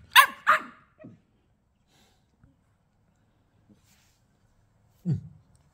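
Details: Twelve-week-old female Staffordshire Bull Terrier puppy throwing a tantrum while being told off: two sharp high yaps in quick succession, a softer short yip, then after a pause one low grumbling bark, with a person speaking around her.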